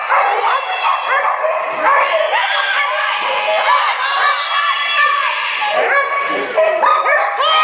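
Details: Dogs at a flyball race during the Spring Fling Flyball Tournament, Dover Ice Arena, Dover, New Hampshire, April 2011; a dense chorus of excited high barks and yips overlapping nonstop, with people talking throughout the indoor arena.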